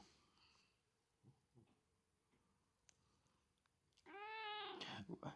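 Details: Pet cat meowing to get attention: after quiet room noise, a loud drawn-out meow with rich bending harmonics near the end, followed by a shorter second call, with faint background sounds earlier.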